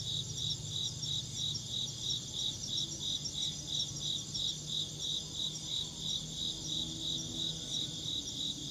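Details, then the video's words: Rhythmic shrill insect chirps, evenly spaced and continuous throughout, backed by a faint low-frequency drone. "Insect chirping sounds"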